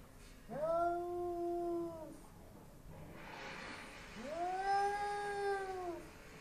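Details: Bengal cat indoors facing a neighbour's Persian cat through glass, producing two long, tonal, moaning yowls, each rising, holding for over a second, then dropping away, separated by a short quiet gap.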